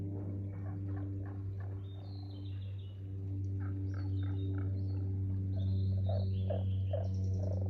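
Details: Frog chorus at Aoba no Mori green park, dated 4/5/2024: rapid series of mid-pitched croaks early on and again near the end, with high chirping birds and a constant low droning hum behind.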